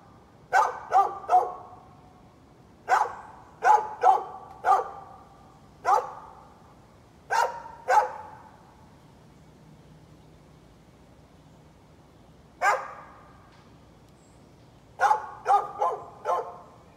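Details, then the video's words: {'caption': "A neighbor's dog on 11-13-2020 barks in short volleys of two to four sharp barks, spread over seventeen seconds, with a long silent stretch in the middle before barking starts again."} "Neighbor's barking dog"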